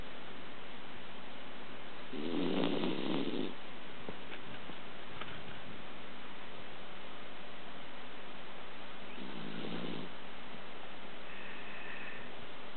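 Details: Male Pomeranian passed out asleep indoors, snoring: two soft, breathy low snore bursts, the first around two to three and a half seconds, the second near nine to ten seconds, with quiet room hiss between them.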